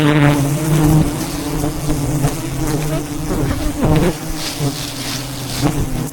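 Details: Wild bees surround a giant hive being harvested for honey high above the ground in the mountains. A low, continuous drone of many wings swells and fades, with brief clicks and handling noises.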